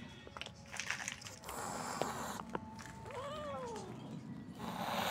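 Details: Kitten meowing indoors, one clear rising-then-falling meow near the middle with harmonics, amid background music and clattering noises.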